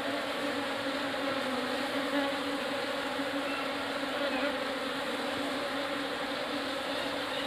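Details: Hum of Asian honey bees (Apis cerana indica) as a fresh swarm moves into a hive box; a thick, constant buzzing with a low fundamental and brighter overtones, evenly sustained.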